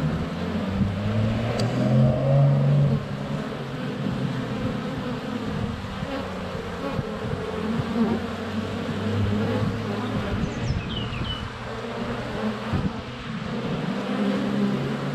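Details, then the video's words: Dense buzzing of many honey bees in flight at a hive entrance on a sunny February day, GoPro Hero 7 Black less than a foot away; layered low hums rise and fall, with a few faint high bird chirps near the end. "Honey Bees - ambient video and audio"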